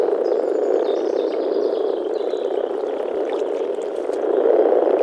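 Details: Breeding chorus of male European common frogs in a small early-spring forest pond: steady low grumbling from many vocal sacs, swelling louder near the end, with thin bird whistles drifting over the top.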